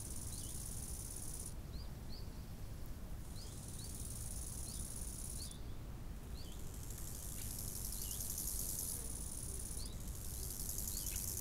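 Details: Summer lakeside crickets give a steady, very high, shimmering buzz that swells in several long bursts, broken by brief dips; scattered thin bird chirps repeat throughout against a low wind rumble.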